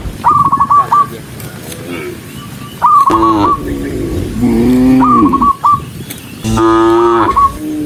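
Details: Many cows hurrying down a rural road, with short fast trilling bursts between three separate lowing moos, the last loud and sustained.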